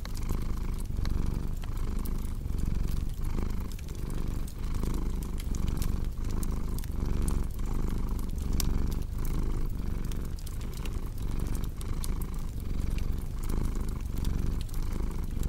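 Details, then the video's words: Deep, steady purring from a cat, rhythmically pulsing with its breathing, accompanied throughout by the popping and snapping of a cozy fireplace. "Purring Cat with Cozy Crackling Fireplace Sound"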